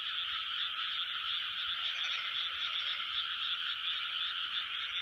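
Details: Large chorus of frogs recorded in 2020: a dense, unbroken wall of overlapping high croaks and trills that holds steady in loudness throughout, with no individual caller standing out and no other sounds clearly heard.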